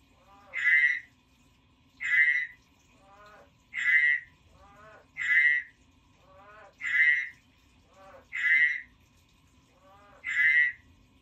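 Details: Steady frog croaking: seven nasal, pulsed notes about one and a half seconds apart, with quieter, lower rattles between them in a quiet setting.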